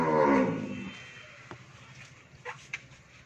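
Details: Friesian cow that has calved once, with a bull calf, on a dairy farm in Pabna, Bangladesh, gives one short, loud moo that falls and fades within a second, followed by faint farm noise and a few soft knocks.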